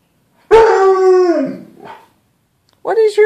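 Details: Bruce Wayne, a pet dog indoors, howl-barks at his own reflection in a closet door's glass as if talking to another dog: a long harmonic howl sliding downward, a brief tail, then a shorter yelp near the end.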